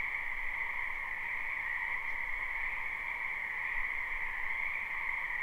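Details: Many frogs calling together in a wetland during spring, recorded live; the croaks blend into an even, continuous trilling hum that never breaks.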